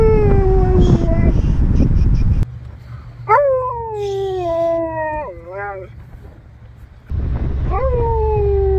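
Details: At a drive-thru, a Siberian Husky "howls his order," giving long, wavering howls that slide down in pitch over an idling engine.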